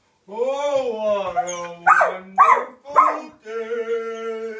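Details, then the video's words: Male Samoyed howling along to a favourite advert song, a sustained tonal howl broken by three short, sharp, bark-like yelps before settling into a steady held note, with the jingle's singing in the background. "samoyed singing"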